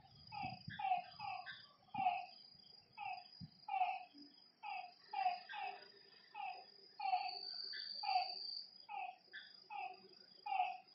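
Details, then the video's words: Lakeside frog chorus at night, many short clipped notes with ringing overtones repeating in quick uneven bursts, over a continuous high-pitched insect drone and a few low thumps early on. "Lakeside night creatures and frog sounds"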